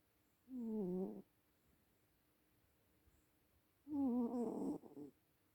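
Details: Sleeping old cat snoring indoors, two drawn-out, wavering, throaty breaths, the first under a second, the second longer and louder with a brief tail, separated by about three seconds of quiet.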